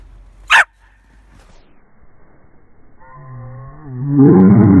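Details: A female dachshund "sings" a drawn-out, tuneful whine that breaks into a loud, rough bark.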